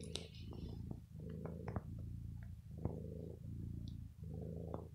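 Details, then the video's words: Indoors, the ill house cat Bella purrs while chewing on clothing after pampering. Loud low purr swelling and fading in rhythmic breaths, about every second, with small clicks and fabric rustle. "MY PURRING CAT 😸 BITES MY CLOTHES 👚"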